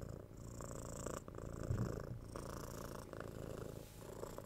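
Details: Purring domestic cat recorded close in stereo; low vibrating rumble with a brief breathy change near the one-second and three-second marks, steady and unhurried.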